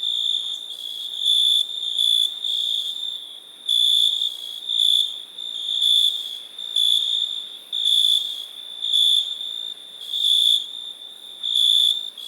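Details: Crickets trilling on a high, unbroken tone, with louder bursts of chirps coming in pulses about once a second over a constant insect chorus; nothing else is heard.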